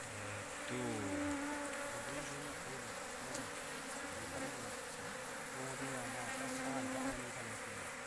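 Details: Asian honey bees from a large wild colony found in an oil palm plantation, buzzing as several individuals fly close by. Their low droning hums slide up and down in pitch and overlap one another, while people talk quietly nearby.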